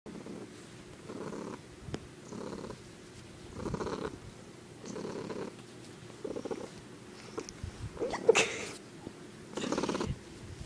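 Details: Male pet cat purring indoors in a bedroom, an unusual-sounding purr recorded on an iPod: low rumbling bursts that swell and fade in a steady cycle about every second, with a brief louder rustle near the end.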